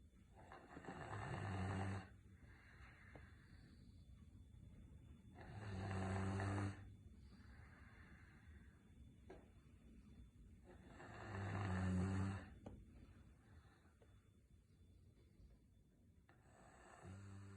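A Rottweiler snores in deep, rumbling bursts, each lasting about two seconds, with quiet breathing between them.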